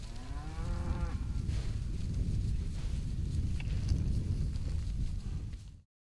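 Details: Cows let out into their new pastures in spring: a single low, harmonic-rich moo that swells and fades within the first second, followed by heavy wind rumble across the rest.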